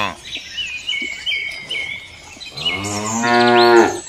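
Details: Cow lowing: a deep, rising moo swells through the second half, preceded by thin high whistling bird calls and faint background chirps.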